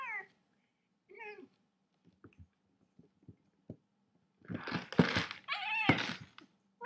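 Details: Indoor cat giving two short, bending meows about a second apart. Scattered soft taps follow, then a loud, harsh, noisy burst of rough yowling mixed with thumps near the end.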